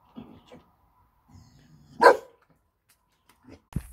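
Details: Four-month-old female Neapolitan Mastiff puppy giving one short, sharp bark midway, preceded by faint low rustling and soft murmurs, with a brief thump and click right at the end.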